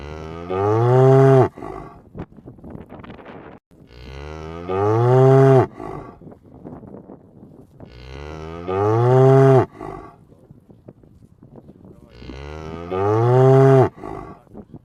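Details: Mooing cow on the move: four deep, drawn-out moos, each swelling in loudness over about a second and a half, recurring every four seconds, with light ticking and rustling in the gaps.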